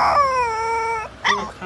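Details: A young Siberian Husky, in its first vocalising, gives a drawn-out, slightly falling howl, then a quick yelping whine.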